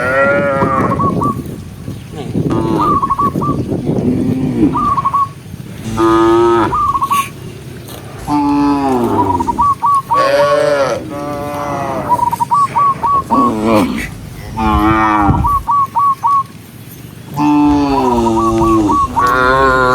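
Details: A large herd of tame cows herded across the countryside, giving many overlapping moos of varied pitch, some deep and some higher and strained, with a stepped whistle-like tone repeating often and steady outdoor rumble.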